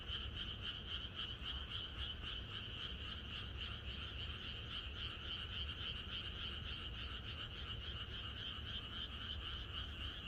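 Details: Chorus of many frogs in a rural setting on a night before rain, a sustained wall of quick pulsing croaks that never pauses, steady in loudness, over a low rumbling background.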